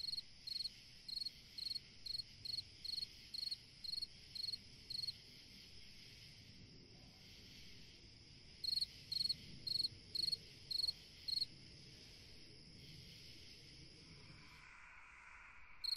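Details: Cricket singing on a summer night: sharp, high chirps repeated about twice a second in runs of ten or so, broken by a long pause, with a faint steady hum beneath; a lower tonal sound enters near the end.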